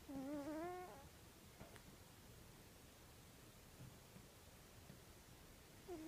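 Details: A sleeping male Egyptian Mau gives a squeaky, whistling snore that returns after several seconds of quiet breathing.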